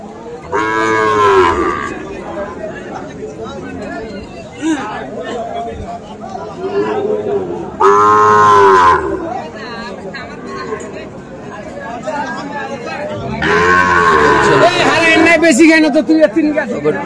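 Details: Sahiwal breed bull calves for sale at Ambari haat, a livestock market, on 13 November: three long, rich, harmonic moos spaced several seconds apart, with market voices and chatter filling the gaps.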